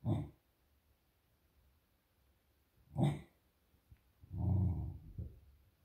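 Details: Female beagle making low grunting growls, three short rough bursts spaced a few seconds apart, the last longer and rumbling, in quiet surroundings.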